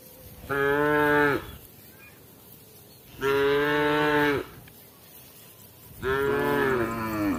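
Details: Cow calling to its herd as evening approaches: three strong, full moos, each about a second long, repeated roughly every two and a half to three seconds, with little else audible between them.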